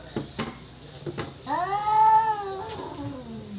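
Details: Cat yowling, courting or threatening a fight: a few soft taps, then one sustained wailing cry that swells, holds steady and fades into a low moan.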